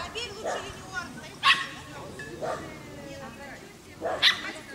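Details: Short, hoarse barks from a Dachshund involved with a rabbit, spaced unevenly, with two sharper, louder yelps standing out and a soft hiss throughout.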